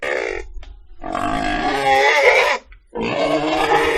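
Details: Pig producing a short squeal, then a longer strained cry that swells in loudness before a brief pause and a final harsh squeal.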